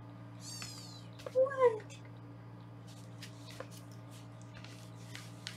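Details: Foster kittens being weighed indoors on a live 24/7 kitten cam in Los Angeles: a thin, high meow, then a louder, lower two-part meow, over a steady low electrical hum with a few soft clicks.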